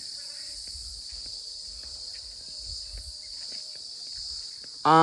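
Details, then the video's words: Crickets in the forest of Wasgamuwa National Park, making a continuous, high, shrill insect trill that holds steady throughout. Soft low thumps like footsteps run beneath it, and a human voice breaks in at the very end. "ඒ රැහැයියන්ගේ හඬ."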